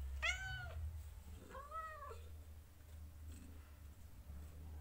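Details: Kittens from a litter of four, recorded indoors on day 16, give two meows: a high, harmonic-rich arched cry followed about a second later by a lower, drawn-out arched meow, then only quiet room hum.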